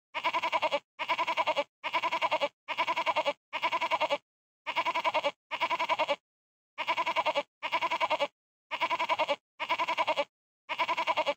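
A goat bleats over and over, each nasal, wavering cry lasting under a second.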